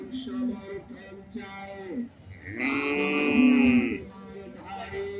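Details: Small cattle bought at a Bangladeshi livestock market for Qurbani: a loud, drawn-out bellowing moo about a second and a half long, rich in harmonics, framed by softer lower calls and market chatter.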